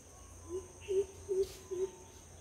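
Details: A chipmunk in a garden gives four low, hollow clucks, evenly spaced about every 0.4 seconds, over a faint, steady high-pitched whine.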